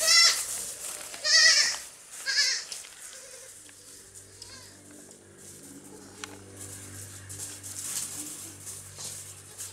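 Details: On a farm, baby goats playing and jumping give three quick, shaky bleats in the first two and a half seconds, then quieter stretches with a low steady hum and faint sounds.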